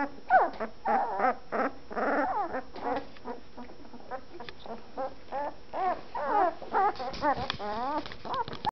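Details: Week-old fawn Anatolian Shepherd Dog puppies with closed eyes, newly finding their voices, make a busy chorus of warbling whines, short nasal yelps and soft grunts, bursts coming every second or so.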